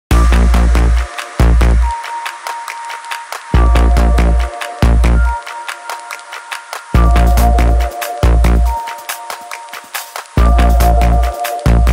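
Electronic dance music with heavy bass beats and synth tones, no animal sounds.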